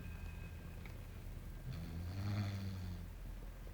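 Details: English Bulldog named Belchior, small pet, snoring while asleep indoors; one low rumbling snore with a harmonic buzz swelling in the middle of the clip, quiet room otherwise.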